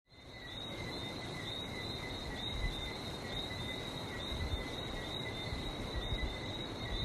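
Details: Frogs calling in Barbados, recorded on a trip with the sea nearby: a dense, unbroken high chorus holding two steady pitched bands, with a low, constant rumble of surf beneath that swells slightly toward the end.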